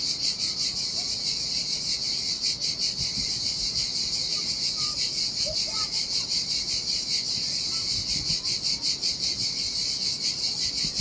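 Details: Cicadas singing in the heat by the sea on a desolate beach in Sardinia, a continuous high sizzling drone beating in quick even pulses, with the soft hiss of waves low in the background.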